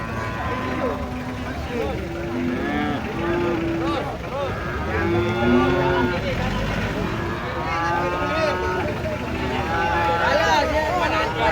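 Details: Huge cattle stepping down from a truck: repeated overlapping moos throughout, some long and level, others short and bending, with several animals calling over vehicle noise and clatter.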